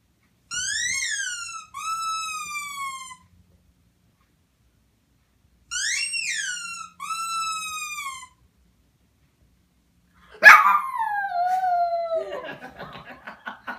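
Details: A puppy making a strange sound: pairs of clear, whistle-like whines that rise then fall, repeated twice with a pause between, followed by a sharper yelp sliding downward into a fading, rough whimper.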